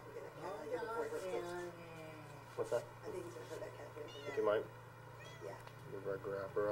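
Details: Domestic cat making short, wavering, speech-like yowls and meows, several brief calls scattered over the recording at low volume with a steady background hum.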